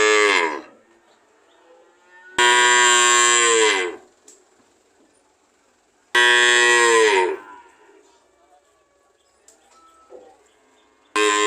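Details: A cow lowing: two full, loud, rich harmonic moos of about a second and a half each, falling in pitch at the end, with clipped partial moos at the start and end and quiet background between.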